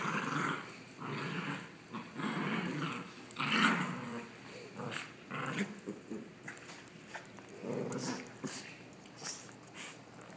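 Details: Milo and Madison, two dogs, play-fighting inside; growls come and go in repeated rumbling bursts about every second, some rising into snarls, with scuffling between them.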